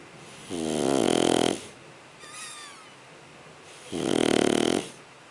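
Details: Shar Pei puppy snoring in its sleep: two strong, harsh snores roughly three seconds apart, with a softer wheezy whistling breath between them.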